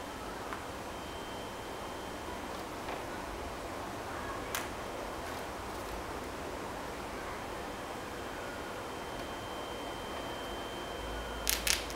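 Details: Steady low hiss with a few faint clicks and rustles and a short burst of handling noise at the end, with no animal voice heard.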